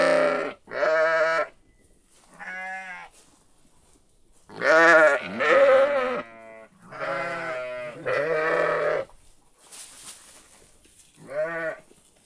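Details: A sheep gives a run of bleats of mixed length, some short and clipped, others drawn out and wobbling, about eight calls over twelve seconds with a brief hiss between the later ones.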